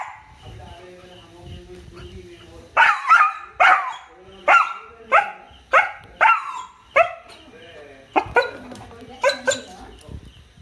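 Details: A male dog gives a steady run of loud barks, roughly two per second for several seconds, then a few scattered barks, over faint talking and a low room hum.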